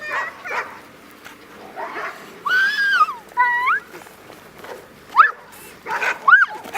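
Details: Several AKC Golden Retriever puppies at Windy Knoll Farm romping with children one afternoon: high, arching whines that rise and fall, then short sharp yips near the end, with children's voices and play noise throughout.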